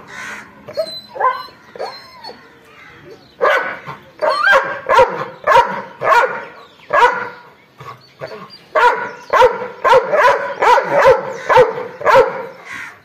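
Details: Angry dog barking: a few high whines and yelps open, then sharp, loud barks repeat in rapid bursts, nearly two per second, with brief pauses between volleys.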